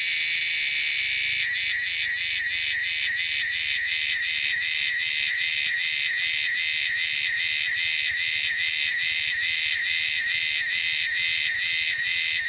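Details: Loud, shrill wild cicadas in the wilderness: a steady buzz breaks after about a second into rapid pulsing, with regular bursts repeated roughly every half second.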